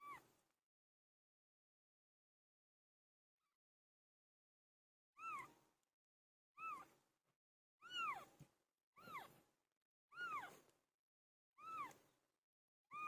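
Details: Cat called Pilo giving birth: after about five seconds of near silence, a run of seven short meows comes in quick succession, each rising and falling, some slightly doubled.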